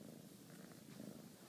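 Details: A female Bengal kitten purrs in a steady, low, rumbling drone with a soft pulsing texture and no breaks, while being cuddled and doing high fives, affectionate and sleepy.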